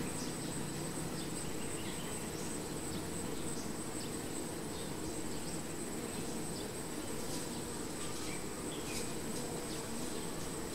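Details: Massed humming of honey bees around a hive, an unbroken low buzzing roar with a persistent high-pitched whine overhead and occasional short ticks and zips from individual bees flying close.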